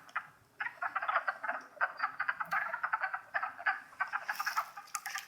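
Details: Many wood frogs calling together in Longkill Woods during spring, April 2014, a continuous rapid clatter of duck-like clucks overlapping in dense pulses, with a faint hiss rising near the end.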